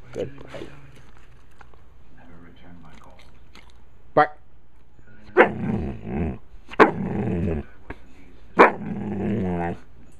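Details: Puppy Taylor, a talker, begging for popcorn: a few short sharp barks, then three drawn-out, tonal, whining barks about a second each, spaced roughly every one and a half seconds, with a person talking in between.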